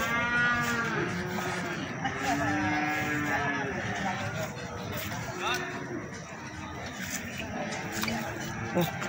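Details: Feeder cattle for sale at Plaosan cattle market in Magetan, lowing in low, drawn-out harmonic moos beneath a constant hubbub of people talking and market clatter.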